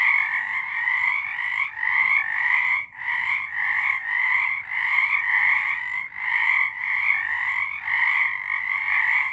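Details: Singing frogs in the dark of a March 2023 night, their rattling croaks merging into a continuous high trill with short rhythmic swells and brief pauses roughly every one to two seconds.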